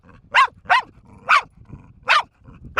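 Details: Four-year-old female dog Bear in a long barking bout: five sharp, bright barks in quick succession, two close together, then a short gap before the next pair.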